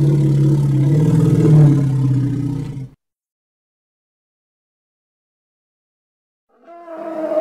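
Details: Hippo of the Congo producing a deep, rumbling, tonal call for about three seconds. After a stretch of silence, the start of a higher, harmonic call enters.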